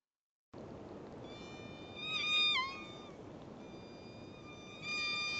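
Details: Endangered Southern Resident killer whale pulsed calls from a single pod, recorded underwater by a Dtag: squealing, nasal tones that bend and drop over steady underwater hiss.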